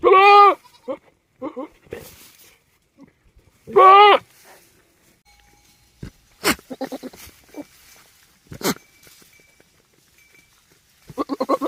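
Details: Male goat kept on a farm, behaving unusually: two loud, quavering, nasal bleats about four seconds apart, followed by quieter snorts, clicks and short grunting sounds, then a rising bleat at the very end.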